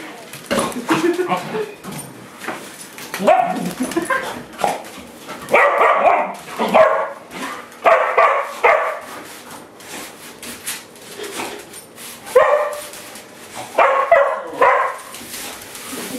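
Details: Pet dogs, including a Doberman, barking at a broom they cannot stand during play at home; bursts of harsh barks come in clusters with pauses, mixed with people talking and laughing and scraping noises.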